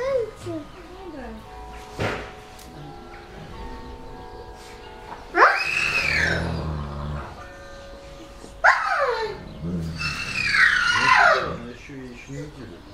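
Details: Wolves flirting: loud, high, sliding whimper-howls burst out twice, each a falling then rising wail, between quieter soft whines, with human voices chatting throughout.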